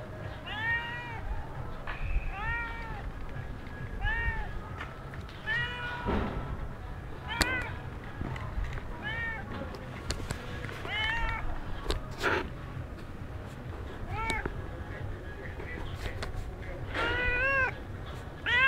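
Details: Stray cat somewhere in Sharm el Sheikh, Egypt, mewing in short, arched calls scattered irregularly through heavy low-frequency rumble, clicks and background noise.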